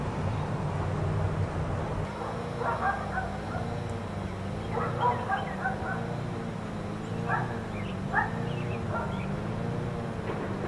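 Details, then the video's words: Four dogs left outside all day by neighbors, barking at a distance: short sharp barks in irregular bursts of two or three, with pauses between, over a steady low rumble of traffic or machinery. "4 Dogs Barking Allday"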